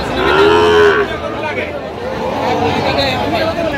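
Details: Sahiwal bull calf at a cattle market in Kurigram, Bangladesh, on 9 November 2025. It gives one short, level, tonal moo lasting under a second, followed by a steady background of crowd chatter and bargaining voices.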